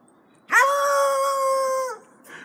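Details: Foxhound howling indoors: a single sustained, steady-pitched howl lasting about a second and a half, rising sharply at the onset and holding level before a slight drop at the end, followed by a brief faint sound.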